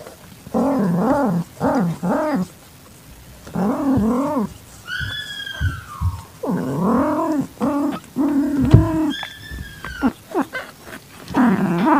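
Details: Calitabby cat in heat accepting a young calico kitten found in a garage, its eyes just opening, evening of 8 September 2021: long, low, wavering yowls in repeated bursts, with a thin, high, falling kitten mew between them.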